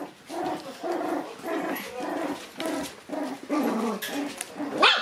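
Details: Shiba Inu puppies born in August, on their first outing into the room, give a steady stream of short whimpering yelps, about two or three each second, overlapping and wavering, with a higher squeal at the end.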